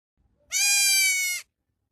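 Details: Farm goats grazing fresh grass while playful kids jump around and bleat 'maa maa'; a single steady, nasal, high bleat lasting about one second, flat in pitch, with nothing else audible.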